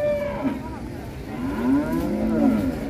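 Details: Black cow at Sobo market ahead of Eid al-Adha, lowing softly: a low, wavering moo in the second half, partly buried under steady market noise.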